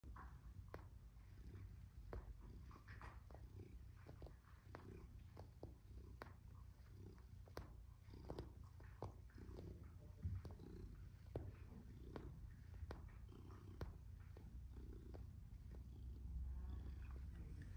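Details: Tom, a black and white male domestic shorthair cat, purrs while kneading, making biscuits; a steady low rumble runs throughout with sharp clicking taps scattered over it, recorded indoors.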